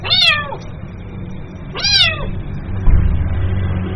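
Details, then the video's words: Kitten calling its mother with two loud, high meows that fall in pitch, about one and a half seconds apart, over a steady low hum. "SUARA ANAK KUCING MEMANGGIL INDUKNYA"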